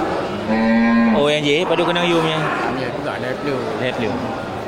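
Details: A local bull at the Geulumpang Payong livestock market, 8 May 2021, among grass-fed cattle ready for slaughter, gives one steady low moo lasting under a second before a man's voice takes over amid market chatter.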